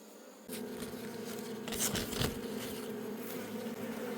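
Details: Many honey bees of a wild forest colony humming during a honey harvest: after a brief quiet start, a loud, continuous droning buzz sets in and holds, with a few faint knocks and rustles over it.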